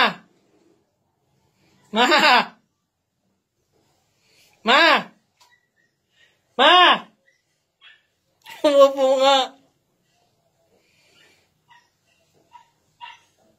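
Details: A cat pooping on a toilet bowl gives four drawn-out, harmonic meows that rise and then fall, spaced roughly two seconds apart, the last one longer and wavering, with near silence between calls indoors.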